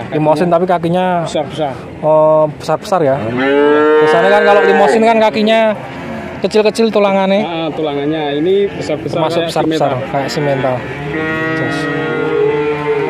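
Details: Nineteen young bull calves in Grabag, Magelang regency, call almost without pause: long steady moos alternate with shorter bent, wavering bawls from several animals at once, busy and overlapping throughout.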